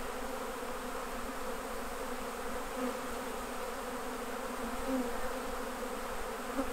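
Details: Many honey bees hum around managed hives during the honey harvest, a thick, constant buzzing drone with small rises in volume and no other clear sounds.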